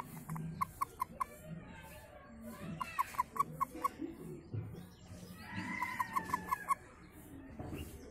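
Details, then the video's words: Frog calling in short bursts of about five quick, evenly spaced clicking notes, three bursts across eight seconds, set against a rumbling, noisy background. "Beautiful Frong Sound"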